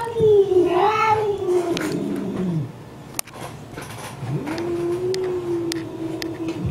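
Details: House cat responding to an angry cat shown on a computer: a long, wavering yowl slides downward for over two seconds, then a quiet gap with a click, then a second steady, level moaning yowl.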